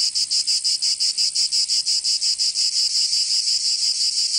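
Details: Cicadas singing in summer in Provence, southern France: a loud, shrill, buzzy chorus pulsing in rapid, steady beats about three per second, with no other sounds.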